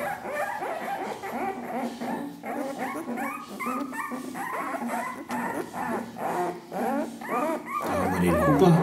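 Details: Ca de Bou puppies, ten days old, from the litter of Ivi and Tito, whimpering in a steady run of high arched squeaks and short yips, with a voice talking and faint music beneath.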